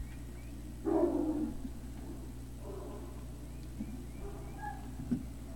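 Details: Great Dane puppies at Puppy Hill, recorded 3 May 2019 in the early evening: one short harmonic yelping bark near the first second, then fainter soft calls over a steady low background hum.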